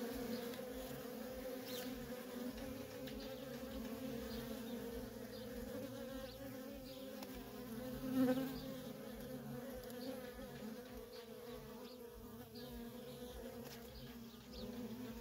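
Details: Honey bee workers streaming in and out of a feral colony, a steady low humming buzz lasting throughout, one brief louder pass as a bee flies close midway.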